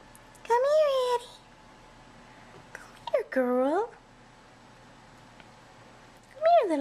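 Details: Kittens coming out of their tent in a nursery for bottle feeding; three separate drawn-out meows with wavering, arching pitch, spaced by quiet gaps, and a woman whispering encouragement in between.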